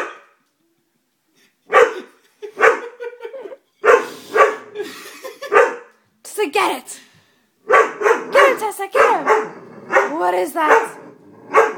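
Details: Dobermann puppy scared of a stuffed toy gives scattered single barks. Near the end come tighter, wavering yelping barks.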